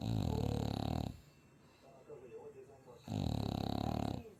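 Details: Tired French Bulldog in Chuncheon, sleeping after three days at a dog cafe, gives two heavy, grating snores about three seconds apart, each over a second long, with quiet speech audible between them.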